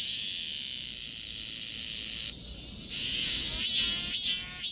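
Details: Cicada song captured with a Galaxy S24 Ultra phone: a sustained high, sizzling drone that briefly drops away, then swells back with throbbing pulses repeating about twice a second near the end.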